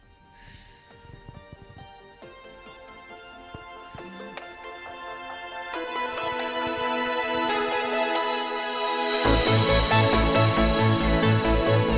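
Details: Electronic music swelling steadily in loudness and ending in a driving, regular beat.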